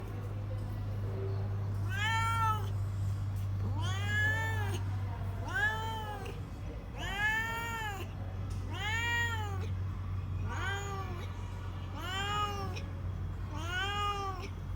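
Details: Kitten giving warning meows: about nine drawn-out, arching, harmonic-rich cries, rising then falling, spaced roughly every one to two seconds over a constant low electrical hum.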